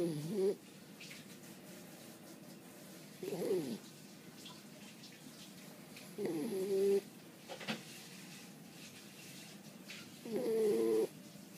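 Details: A French Bulldog snoring while sleeping after lots of play: four rough, nasal snorts with a wheezy rattling tone, each about half a second long, coming every three to four seconds from a quiet room.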